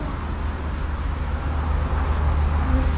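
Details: Low steady engine rumble like road traffic dominates, with faint voices and no animal sound.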